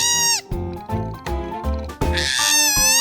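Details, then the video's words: A koala that appears to have been driven from its home tree after a fight cries in distress with loud, wavering wails in short bursts. "지금 서럽게 울고 있는 이 코알라는 자신의 서식지 나무에서 쫓겨난 것으로 보입니다."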